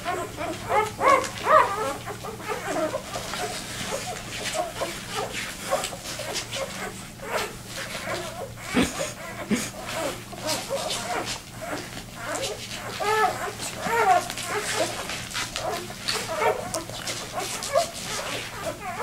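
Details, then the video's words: Two-day-old vizsla puppy, one of a litter of seven, left behind as its siblings raced to their mother, complaining while searching for a way back to her. Thin high squeaks and whimpers come in quick uneven bursts over soft rustling. "2 day old viszla puppy got left behind and trying to find his way to his Mom"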